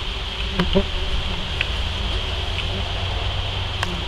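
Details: Common wasps (Vespula vulgaris) at a disturbed underground nest give a steady, droning buzz with a low hum and a thin, high whine held throughout, broken by a few brief clicks.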